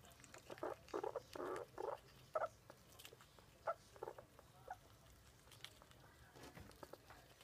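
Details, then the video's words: Red squirrel eating a hazelnut, making funny sounds: short, quiet bursts of crunching and clicking in quick clusters, with a few brief squeaky notes between gnawing bouts, then softer scattered clicks toward the end. "Squirrel Vevik - funny sounds while eating a hazelnut"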